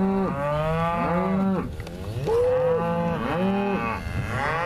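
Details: Loud overlapping moos from Angus cows aged four to five years, pregnancy-tested in calf to Bonsmara bulls. Three or four full bellows rise and fall with only short pauses between them.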